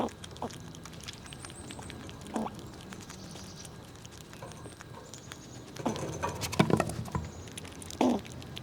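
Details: Squirrels eating nuts in winter cold while pushing each other around: irregular sharp cracks and crunches of nut shells, with a run of louder chewing near the end, over soft patter and faint high whistled bird notes.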